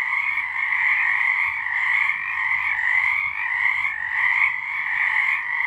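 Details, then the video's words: March 2023 night chorus of frogs: massed high trilling calls overlap into a constant ringing wall of sound, pulsing softly in waves every second or so. "Frogs singing"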